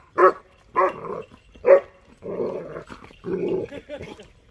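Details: A male German Shepherd puppy, 6.5 months old, barks at buffaloes, which he dislikes and barks at every time he sees them: short, sharp bursts, then longer, rougher drawn-out barks.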